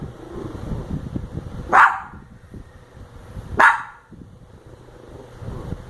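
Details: Indoor dog barking at a snoring sleeper, giving two loud sharp barks spaced nearly two seconds apart over rustling and low background noise.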